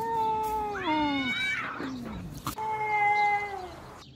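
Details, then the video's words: Cats in a fight: loud sustained yowls that dip and rise, a strained growling slide, a sharp click, then another long level wail that fades. "Cat fighting sounds"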